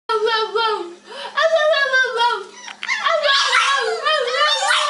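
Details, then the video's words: French Bulldog crying indoors: a run of wavering, whining, voice-like cries with many harmonics, rising and falling continuously for about five seconds, growing harsher toward the end. "French Bulldog crying"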